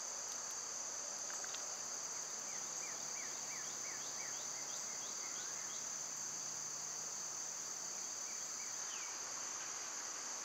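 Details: Cicadas sing a sustained high whine on a summer day. Quick series of short falling chirps from birds sit below it, and a faint low rumble runs through the middle.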